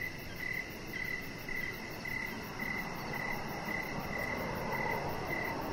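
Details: Crickets chirping outdoors in the evening beside a deck where a chihuahua puppy lies; steady high-pitched pulsed chirps repeat about twice a second over a constant broad hiss of background noise.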